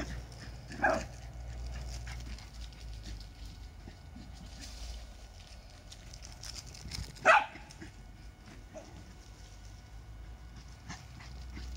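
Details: Holly and Ville, two Lakeland terriers, romp in the summer warmth; a single bark rings out early, then a quieter stretch of movement before a second sharp bark about six seconds later.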